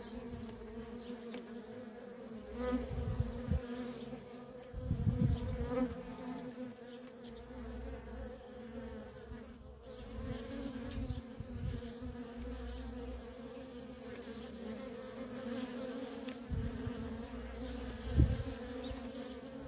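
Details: Steady droning buzz of worker honey bees streaming in and out of a feral colony, punctuated by several low thumps and louder close fly-bys.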